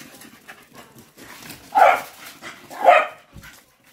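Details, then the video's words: Patterdale Terriers chasing, two loud short barks about a second apart over quiet background rustling. "PATTERDALE TERRIERS TEARING S#!T UP. CHASING"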